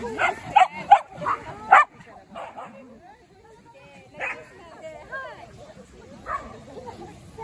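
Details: Shetland sheepdog playing at a dog run with shade and a cold spring-fed pond, on a scorching late-summer day, 1 September 2023; a quick burst of sharp high barks and yips, then scattered yelps and whines amid people talking.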